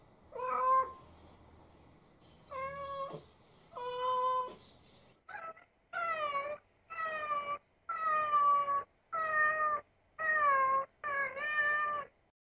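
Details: Pet cat Ame, indoors, cries in a baby-like voice while its mother is away and takes its anger out on a pointed hat made from its own shed fur; nine harmonic meows, three drawn-out then six shorter and steadier, about one each second.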